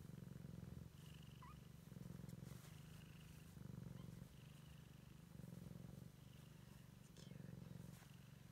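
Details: Purring Siamese kitten out exploring for the first time: deep, throbbing rumble pulsing in alternating louder and softer phases about every second, plus a faint short squeak and light scratchy handling noises.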